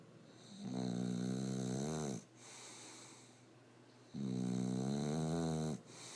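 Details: English Bulldog snoring, one of a pair named Bosco and Dozer; two long rumbling snores with a harmonic-rich buzzing tone, separated by a quieter wheezing exhale.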